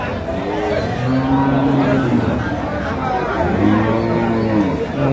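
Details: Cows with calves at the Aftabganj livestock market in Dinajpur, recorded 14 October 2025: two long, low, steady moos, the first near the start and a second rising then falling, amid a murmur of market voices.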